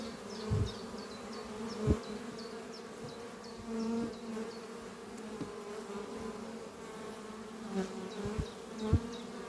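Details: Honey bees at the Doppio hive on a spring morning after a good winter; a deep, steady buzzing hum with several loud close passes and thuds, and quick high-pitched chirps repeating throughout.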